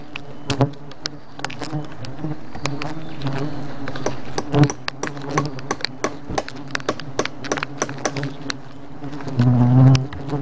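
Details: Swarm of thousands of attacking bees producing a steady deep buzzing drone, punctuated by frequent sharp taps and knocks, with a louder, higher-pitched rising buzz near the end.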